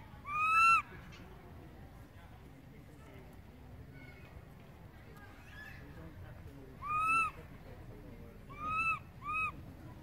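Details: ['Infant monkey calling for its mother, who has wandered far off: four clear, arched, whistle-like cries, the first alone and three more close together near the end, separated by a low murmur of background noise.']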